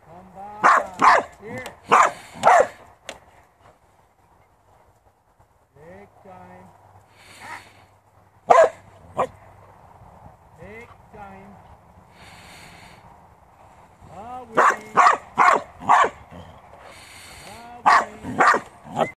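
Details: Farm working Border Collie barking in quick clusters of loud, sharp barks at the start and again near the end, with a man talking in the quieter middle stretch.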